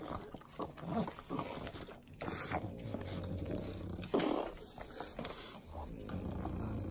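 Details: Three pug dogs eating butter in Southern California's Inland Empire: sloppy wet licking and smacking clicks with low snuffling snorts, one louder burst near four seconds.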